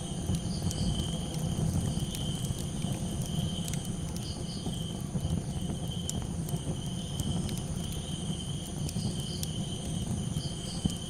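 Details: At night, crickets trill steadily in high, unbroken tones over the pops and low roar of a crackling campfire.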